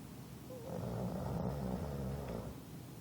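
An English bulldog snores in a low, rumbling, rattling drone.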